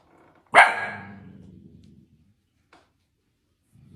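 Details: Single loud Dalmatian bark with a long fading tail, followed by a faint short click and then quiet.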